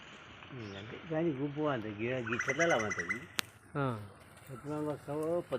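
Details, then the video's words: Sheep grazing on grass in a forest, giving a series of wavering, tremulous bleats that overlap and follow one another for about five seconds, with several animals apparently calling and a sharp click midway. "అడవిలో పచ్చిక మేస్తూ సేవ తీరుతున్న గొర్రెలు"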